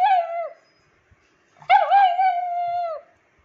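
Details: Old rescued female pug, nine years old, who cannot walk, demanding attention indoors: two drawn-out nasal whining howls, a short one then a longer wavering one of over a second, with near silence between.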